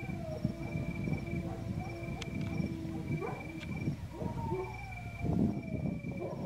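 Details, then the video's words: Georgian Shepherds, a group of household dogs, howling: a long steady low howl held for about three seconds, then higher gliding howls that rise and fall, over talking, background rustle and a constant high-pitched electronic whine. "ქართული ნაგაზები ყმუიან??? დიახ..ყმუიან..ჩემი ძაღლების მორიგი რამოდენიმე დღის ყმუილი"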